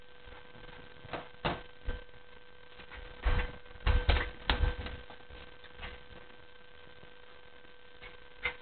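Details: Indoor room with a steady electrical hum and scattered thumps and scuffling knocks, with no animal voice.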